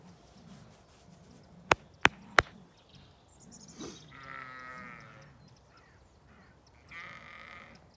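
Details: At an autumn dawn on a farm in County Kilkenny, Ireland, Zwartbles sheep call out to the farmer while waiting for the fence to move onto fresh grazing. Three sharp clicks come first, then a drawn-out wavering bleat and a second shorter one.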